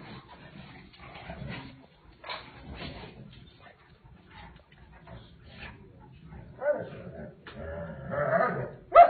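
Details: Doberman Pinscher and Boxer play fighting: rough growls and gruff barks in uneven bursts, louder and harsher toward the end, with a person talking early on.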